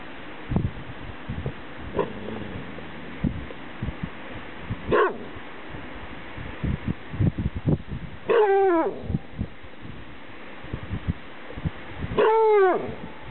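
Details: A dog barks at the wind outdoors at Seamens Reservoir, Gateway Natural Area, Greeley, Colorado; a few drawn-out, falling, yelping barks amid strong wind rumble and buffeting.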